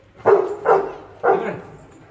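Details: Rottweiler named Efe barking while playing with his grandfather and chewing a bone: three deep, loud barks about half a second apart, then a pause before the third, with no other sounds.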